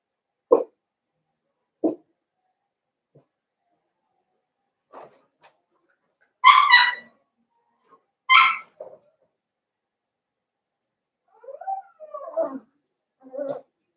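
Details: Blenheim Cavalier King Charles Spaniel puppies from a litter of five, born at New Year's, in an indoor puppy pen: scattered short yips, then two sharp high harmonic yelps, followed by softer whimpering squeaks near the end.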